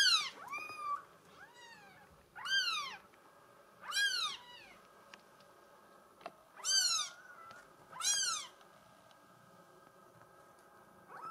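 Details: Mink solid Bengal girl kitten giving loud, high, downward-curving meows at irregular intervals, some quick and clipped, others drawn out, over a faint steady background hum.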